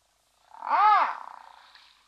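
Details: One of three brown hyenas at Safarihoek Lodge on Namibia's savannah near Etosha National Park, with one perhaps in estrus, caught by a wildlife webcam; a single rich, harmonic whine that rises, then falls, and trails off softly.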